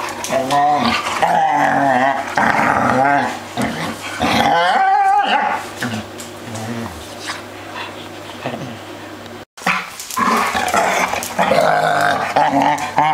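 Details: Three dogs playing noisily together: wavering, wobbling howl-like whines and yowls overlapping with growls, steady and loud throughout, with a brief break midway and a low constant hum underneath.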